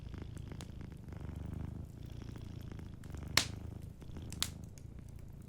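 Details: A sleeping cat purrs softly in a steady low rumble that swells and fades in cycles of about a second, while a fireplace crackles behind with scattered sharp pops and two louder snaps.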